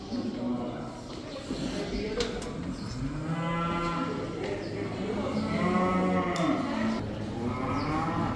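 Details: Cows from a herd of about 80, let outside for the first time, mooing in overlapping low, drawn-out, rising and falling calls from several animals, one after another, over steady background rumble.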